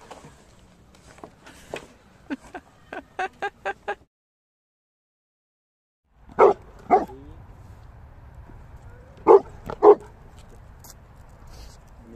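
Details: Pet Labrador Retriever reacting playfully: a run of short, sharp barks and yips in quick bursts, a brief silence, then a few louder single barks spaced apart, with faint background noise.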